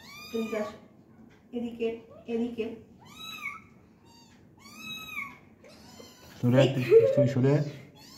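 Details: A kitten, possibly a stray, gives thin, high meows that arch up and fall while playing, with a person talking at times.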